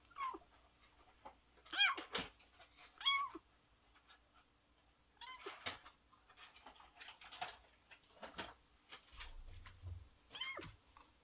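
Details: Young kitten about one month old, thought to be male, found in daytime at a market vegetable shop; several thin, high mews that rise then fall, spaced a second or more apart, with soft handling clicks and rustling indoors.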